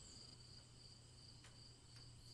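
Crickets trill steadily in high, even tones, with a faint low hum beneath.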